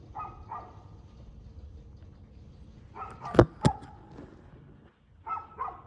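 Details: Dog barking outdoors at 6:02pm on 2/6/2024, short harsh barks in pairs at the start, middle and end, with two loud sharp knocks or bangs in between and faint low rumble behind.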